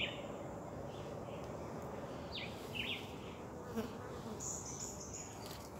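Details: Wild Western honey bees in a homemade box hive in Jamaica buzz in a dense, steady drone of many wingbeats, with a few faint high chirps above.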